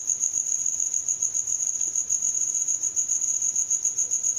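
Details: Night-time cricket song produced by wing friction, described as drawing in mates: a continuous shrill, high pulsing trill that stays level and even throughout, with nothing else audible.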